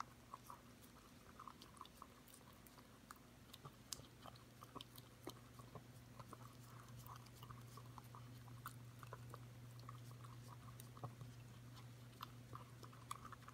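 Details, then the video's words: Five-month-old Corgi puppy licking a yogurt bowl clean: quick, wet, irregular clicks and smacks from the tongue, sometimes in short rapid bursts, over a steady low hum. "Corgi puppy licking yogurt"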